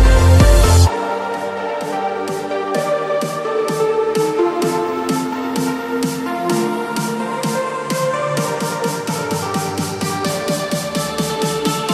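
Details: Electronic dance music with a pulsing beat and repeated synth notes runs through, opening with a brief loud low thump.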